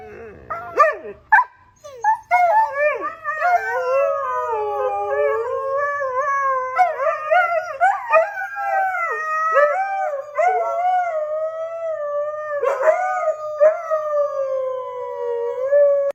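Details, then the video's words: Pet Siberian Husky, first sneezing, then breaking into screaming: after a few short sharp bursts, long wavering, whiny yowls with strong harmonics rise and fall almost without pause for about thirteen seconds, loud and close. "Starts with sneezing,ends with screaming"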